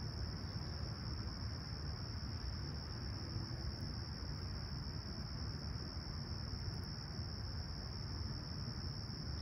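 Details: Chirping crickets on a calm, clear summer morning at Humber Bay Shores, Toronto, July 2020, at sunrise around 20ºC; one continuous high-pitched buzzing trill holds level the whole time above a constant deep traffic-like rumble.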